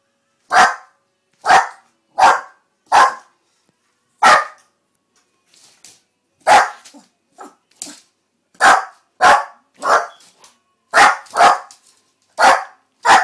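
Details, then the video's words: Noah, a pet dog, barks loudly and sharply indoors, about fourteen strong barks in uneven bursts, some close pairs and some spaced a second or more apart, with short quiet gaps and a few softer yaps between. "Barking dog"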